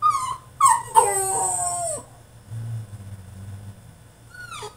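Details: French Bulldog in his cage throwing a tantrum: quick falling yips lead into a long howl-like whine with rough breathy overtones, then low rumbling and a final descending whimper.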